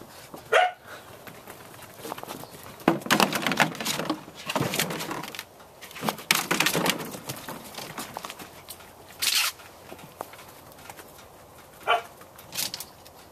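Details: Four Samoyed puppies aged 8 1/2 weeks, born September 2, playing out on a deck after a rain deluge on November 2, 2014; short sharp yips and barks break out sporadically amid scuffling, clattering and rustling noises.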